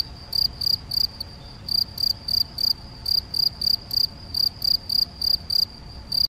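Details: Male field cricket (Gryllus campestris) recorded 7 May 2021 at Macieira da Maia, Vila do Conde, Portugal, on a Canon PowerShot SX70 HS; high, shrill chirps repeat steadily about four times a second, with one brief pause early on.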